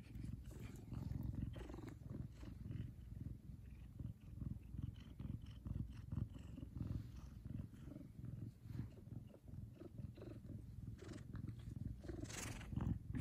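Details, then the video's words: A big male Savannah cat purrs loudly when happy, a deep, continuous rumble pulsing steadily with each breath. "Big Cat Has The Cutest Loudest Purr"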